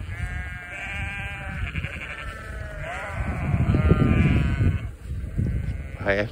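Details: Vermont sheep walking after a person during deliveries, wanting to join in, let out long quavering bleats one after another, over heavy low rumbling noise, with a short sharp bleat at the end.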